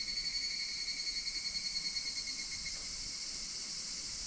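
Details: Higurashi cicadas in August 2026, recorded around Minoo Park, Kawachinagano and Koyasan, Japan: dense high ringing chorus with steady tonal bands, opening with quick pulsing beats that merge into a continuous shimmer, no other clear sounds.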